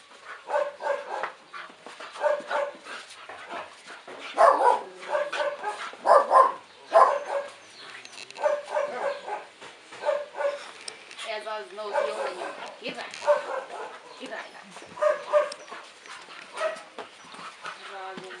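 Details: Pair of pet dogs at play: repeated harsh, gravelly growls and snarls in rapid, irregular bursts, with brief pauses between bouts throughout.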